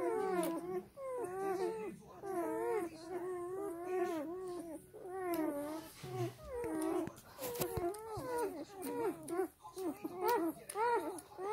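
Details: Black German Shepherd puppies feeding from their sleeping mother produce a long run of short, arched whines repeated in quick succession, several voices overlapping, with scattered clicks and rustling thumps as they jostle.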